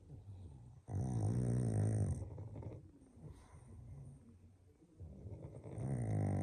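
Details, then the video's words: Pug dog snoring loudly while asleep in an odd sleeping position; deep, rattling low snores with a long rough inhalation lasting over a second, a quieter breathing pause, then another loud snore building. "Pug snoring so loud…his sleeping position just wow"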